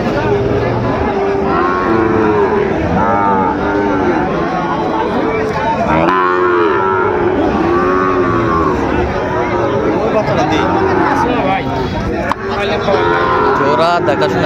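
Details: Sahiwal bull calves at a cattle market in Chittagong, Bangladesh, October 24, 2025; dense overlapping moos and bellows from many animals, with a constant din of crowd chatter and market noise throughout.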